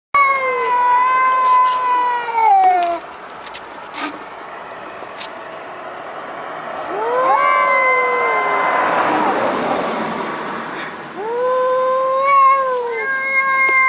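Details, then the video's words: Cat making an odd noise: three drawn-out, wavering meows, each bending up then sliding down, the first about two seconds long, separated by gaps of hissing background noise. "Funny Cats Making Weirdest Noises"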